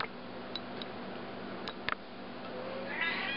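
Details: A female domestic cat coaxed to speak by her owner answers with a drawn-out, harmonic meow near the end, following a few faint ticks and taps over a steady room hum.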